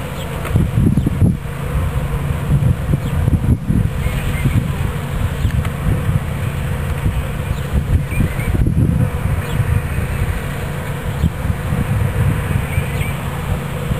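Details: A swarm of bees being captured into a new hive body at Watkinsville, Georgia. A steady, low droning hum with a fluctuating buzz runs without a break for the whole stretch.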